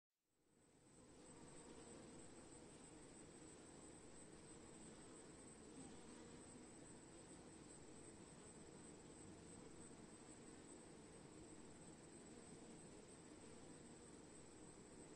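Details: A swarm of bees makes a dense, steady, low humming drone that fades in over the first second, then holds an even level throughout with no breaks or changes in pitch.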